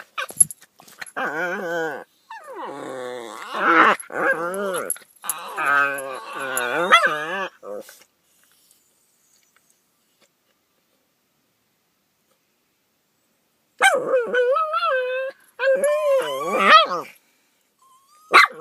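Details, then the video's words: Two pet dogs making weird morning noises: wavering, whiny, moaning vocalisations with rising and falling pitch in long bursts over the first eight seconds, then a quiet gap before another run of warbling whines near the end. "Riley & Oscar Make Weird Noises"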